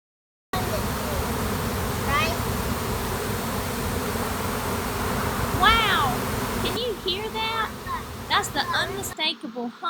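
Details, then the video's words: A honey bee swarm drones with a dense, steady buzzing hum while a person talks over it, as a suited beekeeper prepares to catch it; swarms form when the queen leaves a crowded hive seeking space. "Wow can you hear that that's the unmistakable hum of a honey bee swarm"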